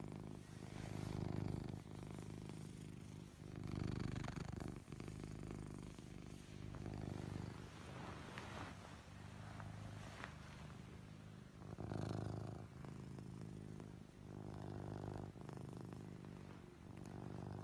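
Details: Deeply asleep, the Ragdoll cat Anko snores indoors at a family home. Steady low, husky snore swells repeat roughly every three seconds, with scattered soft clicks and rustles between breaths.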